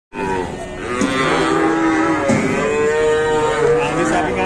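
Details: Cattle at a busy morning livestock market in Indonesia: a long, drawn-out moo that slides slowly upward and holds steady for about three seconds. A steady murmur of crowd and market noise runs underneath.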